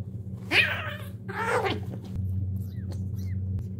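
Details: Domestic cat calling during a difficult birth indoors, where one kitten is born with a foot disability: two short harmonic cries about a second apart, the first higher and rising-falling, over a steady low hum.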